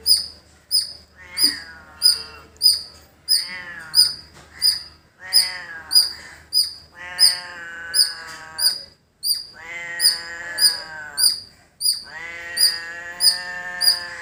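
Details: A squirrel in a village gives sharp, high chip notes repeated steadily and insistently, roughly one or more per second. Long, wavering bleats like a goat or sheep rise and fall beneath them.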